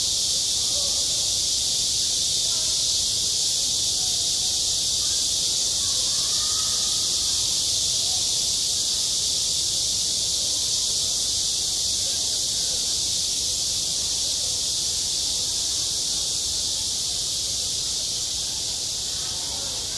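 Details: Midsummer cicadas singing around a school sports field, a sustained sizzling high-pitched buzz lasting unbroken for twenty seconds, with soft faint sounds scattered underneath.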